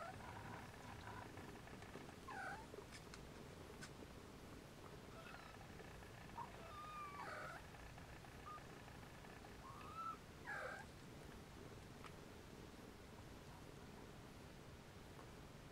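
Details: Siamese kittens napping beside their mother Siamese cat, some restless and waking siblings before nursing; soft high mews rising then falling, about four scattered through sixteen seconds over a quiet hiss with faint rustling.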